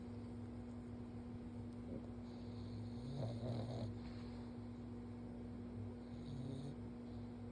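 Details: Stanley the pug dozing on his back during gentle forehead pets, giving soft, rough snoring breaths that swell to a louder snort midway, over a steady low electrical hum.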